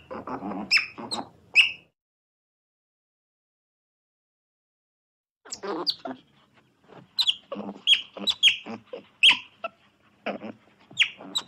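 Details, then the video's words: Otter squeaks and chirps in quick clusters, high and piercing, mixed with rougher lower chattering; a burst at the start, a few seconds of silence, then a livelier run of rapid chirps. "Otter Sounds"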